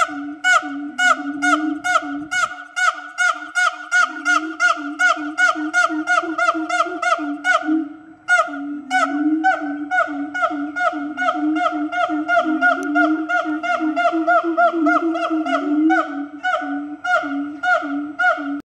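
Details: Siamang gibbons held at Fota Wildlife Park, calling loudly to advertise their presence; fast, dense runs of repeated hoots and barks over a sustained tonal drone, with a brief pause near the middle before the series resumes.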